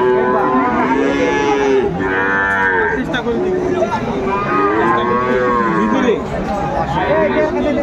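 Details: Friesian cattle at a crowded livestock market in Khulna on 25 September 2024, where a Friesian bull calf is being bargained over; long, drawn-out harmonic moos, two main bellows, over a steady din of crowd chatter.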